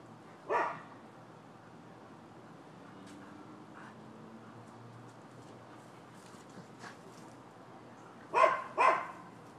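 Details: Neighbors' dogs barking in Florida on 12/7/15: one loud bark, a long near-quiet stretch with faint distant barks, then a closing double bark.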